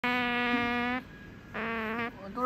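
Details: Female pet otter lamenting after a look-alike cushion of herself took her usual spot: a sustained, steady, harmonic whine about a second long, a pause, then a shorter wavering whine and a brief rising note.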